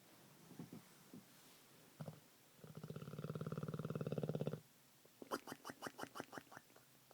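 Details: Olde English Bulldogge pet dog snoring like a man: one long, swelling, gravelly rattle of about two seconds, then a string of short snuffling puffs roughly every third of a second. Soft breathing noises come before it.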